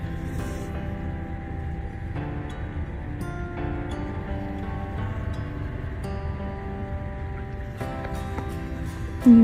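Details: Slow, sombre instrumental music with sustained tones and soft chord changes, ending in a brief louder burst, with no animal sound.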